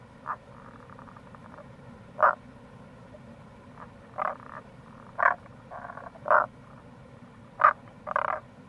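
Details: Tago's brown frog (Rana tagoi) calling in April near a gorge by the Kamo River, Itoshima, Fukuoka, Japan; about seven short, gruff croaking bursts at uneven intervals, some doubled, over a steady low background hum.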